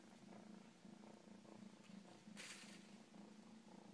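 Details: A pet cat purrs in rhythmic low pulses that swell and fade with each breath, broken by a brief rustling burst midway.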